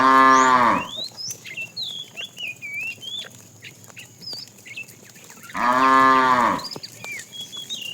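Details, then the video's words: Afternoon herding of tame cows, one calling the female: a moo fading at the start, then a second loud, harmonic moo about a second long, with many birds chirping and twittering in between. "The funny sound of a fat cow calling the female"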